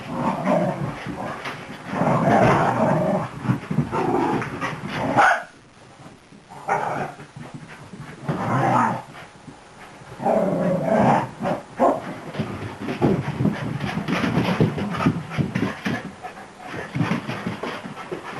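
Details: Excited new beagle mongrel pup at play: rough growls and snappy barks in bunched bursts separated by short silences, ending in a run of rapid scratchy scuffling noises.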